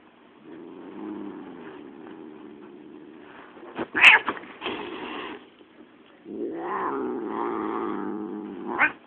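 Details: An angry pet cat named Spanky growling: a long low rumbling growl, a sharp hiss-like burst near the middle, then a rising, wavering caterwaul-like moan toward the end.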